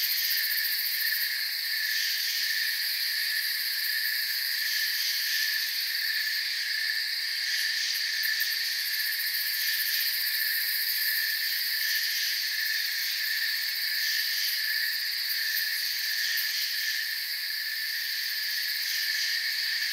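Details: A steady forest chorus of crickets: continuous, bright, high trills stacked at a few pitches, even and unbroken from start to end, with no other animals or noises standing out.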